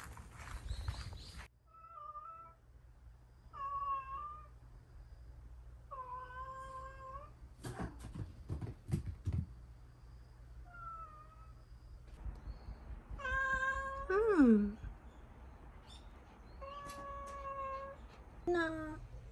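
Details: Young orange tabby stray cat, a female about one year old, in temporary care indoors and being settled to sleep; a run of drawn-out tonal meows with clear harmonics, one sliding sharply downward, separated by pauses, with quiet rustling and handling noise between them.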